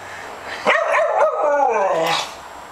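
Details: A two-year-old female Staffordshire Bull Terrier refusing her Sunday night bath gives a drawn-out, wavering vocal protest lasting about one and a half seconds, with a person coaxing her before and after.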